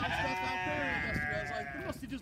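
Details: Sheep bleating at hay feeding time on a farm with seven lambs, including a hungry young ram lamb; one long, quavering harmonic bleat fills most of the moment, with wind noise and faint human speech behind.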